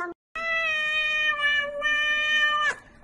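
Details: A cat's long, steady meow follows a brief chirp and short pause, holding an even, bright, strongly harmonic tone for over two seconds before cutting off abruptly, leaving a quiet room.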